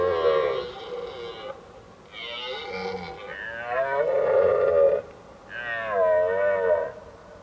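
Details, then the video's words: Autumn rut of red deer, stags calling in the forest at evening to draw females and keep other males from their territory; four loud, hoarse, wavering bellows in quick succession, each one to two seconds long with brief gaps. "Le Brame du cerf, ou le rugissement de l'automne"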